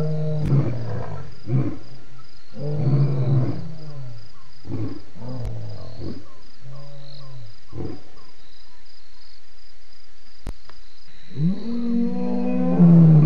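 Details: Lion roaring at Djuma waterhole on 28 October 2016: deep, loud moaning roars followed by a run of shorter, fading grunts spaced about a second apart, then a further long, rising moan at the end.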